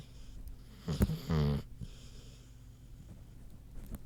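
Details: Sleeping pig Queenie lets out a couple of short, rough, wheezy snorts in quick succession, then falls back to soft breathing and faint shuffling in a small indoor space.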